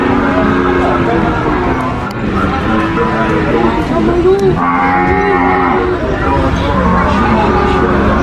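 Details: Cow mooing: long, low, drawn-out moos with steady tones that bend slightly, overlapping one another and following closely through the recording over a constant background hum.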